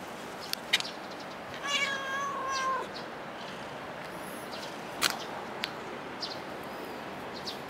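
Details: A cat at Dockyard Garden, recorded 8 July 2016, gives one drawn-out harmonic meow of about a second amid quiet urban background, with a few sharp clicks and knocks around it.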